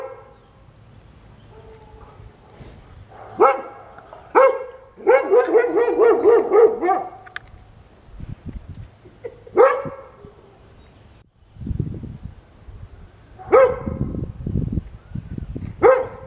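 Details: A blind Goldendoodle puppy gives short, high yappy barks, some in a quick run, with low rumbles between, barking because a visiting dog friend arrived and he didn't know who it was.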